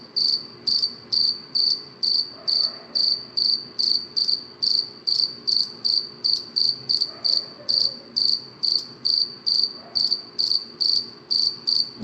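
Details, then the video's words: A cricket chirps at night, steady short high pulses repeating a little more than twice a second. "cricket chirping sound صوت صرصور الليل 🌃 🦗"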